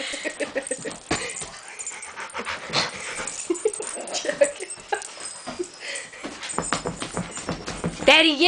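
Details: Betti, a dog, snorting and grunting like a piglet in quick irregular bursts, with excited human voices and a rising squeal near the end.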